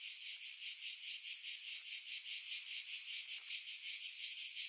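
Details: Cicadas singing in pine trees about 50 m above the sea at Pefkos Bay, Skiros Island, Greece, in July 2018; a dense, high, hissing buzz that pulses steadily about two to three times a second, filtered for wind.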